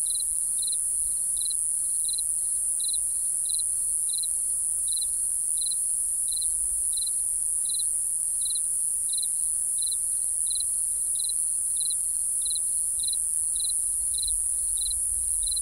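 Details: Night crickets give evenly spaced, high-pitched pulsed chirps, roughly a dozen every seven seconds, set against an unbroken, piercing insect drone higher up and faint low rumble.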